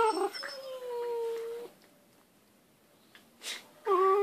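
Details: Mouthy whippet puppies whine and yowl in drawn-out, wavering tones while playing, with a brief pause between outbursts.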